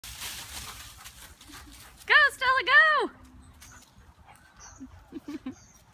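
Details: Dog heard in a big backyard where 9-week-old Great Dane puppy Stella meets year-and-a-half-old golden retriever Bruno for the first time and plays; three loud, high, arching whiny yelps in quick succession, then faint short chirps over low background rumble.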